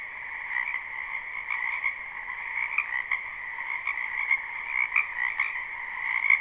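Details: Spring wetland frogs in a live, unlooped recording: a thick chorus of rapid croaking trills stacked in two bright steady tones, with individual louder pulses popping out every fraction of a second above the constant mass of calling.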